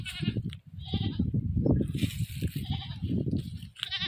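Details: Goat caught and then slaughtered: two wavering, nasal bleats with quivering harmonics open and close the clip, separated by loud low rumbling and thumping handling noise.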